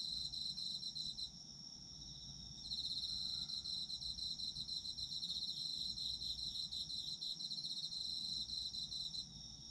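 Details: Autumn insect chorus of fast, high chirping pulses, quieter at first and then swelling into a loud continuous trill, with other insects layered above.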